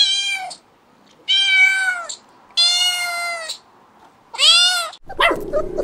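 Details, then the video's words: Cat giving four loud, bright meows, each held about half a second to a second with rich upper harmonics and a falling end, separated by short pauses, then a brief noisy scuffle at the close. "Animal sounds cow, cat"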